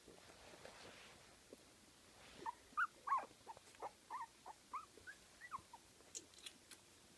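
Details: Fifteen-day-old Kooikerhondje puppies from litter Emma x Floyd at Kennel Duckhills in Sweden give a run of short, thin squeaky whimpers, about a dozen over four seconds, each briefly rising and falling, over a faint steady background hiss.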